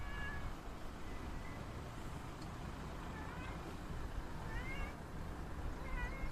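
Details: Stray community cat giving faint, high mews, a few short calls scattered across the recording, partly masked by constant low-frequency traffic rumble and background noise.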